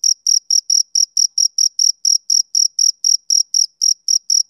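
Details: Male cricket on a summer evening: around eighteen sharp, high chirps with slightly uneven spacing, each a short buzzy pulse, in an otherwise silent background.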